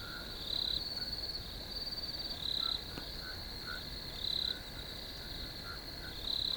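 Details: Crickets calling in a field: a continuous high trill swells into louder pulsed chirps roughly every one and a half seconds, over faint lower chirps and a soft click.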